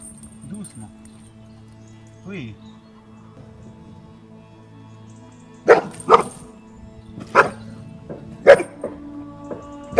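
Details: Barking from a fearful, runaway-prone female Cane Corso under evaluation in aggression tests after neighbour complaints; faint music and quiet at first, then five sharp, irregularly spaced barks crowd the second half.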